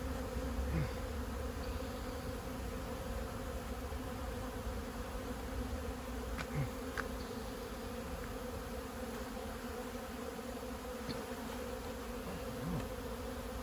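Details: Steady buzzing drone of a honey bee colony, a hive about 15 years old cut out of a house's siding during removal, with occasional faint clicks and knocks over the continuous hum.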